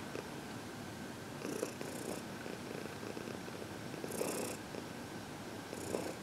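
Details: Elderly adopted female housecat purring while receiving a head massage; continuous soft, low vibrating purr with gentle pulsing throughout, plus intermittent light stroking noises.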